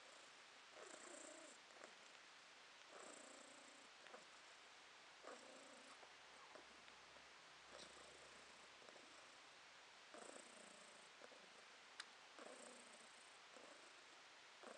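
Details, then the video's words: Podushka the cat purring contentedly, August 2022. Rhythmic rumble in bursts spaced a little over two seconds apart, a gentle vibrating drone with a light click near the end and faint room hiss. "Кошка Подушка урчит"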